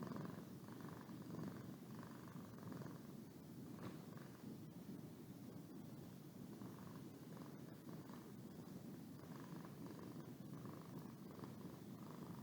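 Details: Continuous low purr from Boo the cat as she yawns, a rough rumbling drone with rhythmic pulses about once per second, steady in volume for the whole stretch.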